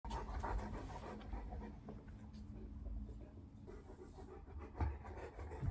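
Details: Olly, a very clingy Bernese Mountain Dog who loves cuddles and attention, interrupting a meditation attempt; soft, low, breathy panting runs steadily throughout, with a faint background hum and a couple of light knocks near the end.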